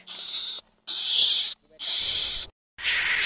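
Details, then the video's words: A ferret-badger gives four harsh, hissing screeches, each about half a second long, with short pauses between them and no other sounds. "Tiếng chồn bạc má chuẩn"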